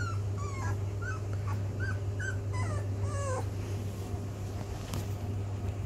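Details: Rhodesian Ridgeback pups, 16 days old, learning to walk; thin, high squeaky whimpers rise and fall in quick irregular bursts for about three seconds, then fade, over a steady low electrical hum.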